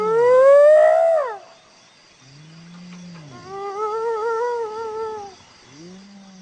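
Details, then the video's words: Hyena giving a series of tonal calls: a loud rising cry that falls away, then lower humming notes and a wavering mid-pitched call, each with stacked harmonics. "Hyena Sound صوت الضبع"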